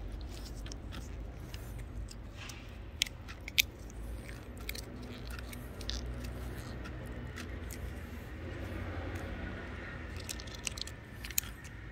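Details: Scattered crunching and clicking sounds over a low indoor rumble, with no animal voice.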